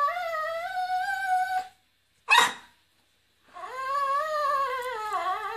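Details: Miniature poodle howling along to flamenco music, a drawn-out steady tonal note, then a short sharp noise, followed by a quavering howl that dips and rises in pitch.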